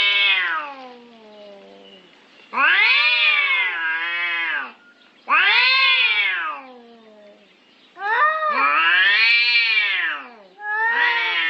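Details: Cats yowling while fighting over territory, loud arching howls that rise and droop in pitch, delivered in long bursts of about two seconds with quieter moaning between them.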